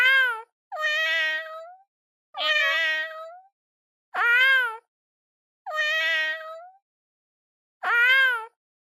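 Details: Pet cat giving six drawn-out, wavering meows at fairly regular intervals of roughly a second and a half, with clean silence between calls.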